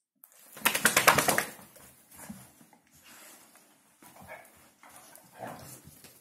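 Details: Hungarian Vizsla giving its new year's talk, a rapid pulsed grumbling burst lasting about a second, followed by softer short grunts and murmurs in a quiet room.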